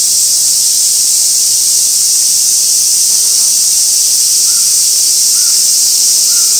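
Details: Japanese cicadas at Gaikotsu-yama on 2 August 2024, recorded near an old sawtooth oak with a stationary camera: loud, even, high-pitched sizzling hum, with a few faint soft chirps near the end.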